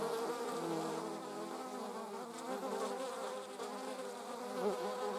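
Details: Honey bees together with wasps, a dense continuous hum of several insects flying at once, tones wavering slightly in pitch, one nearer flyby swelling near the end.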